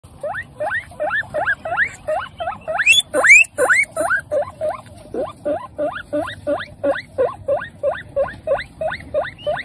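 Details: Mother guinea pig asking for food: a steady run of loud, squealing whistles, each sweeping sharply upward, repeated about three times per second, with a louder, higher burst near the middle.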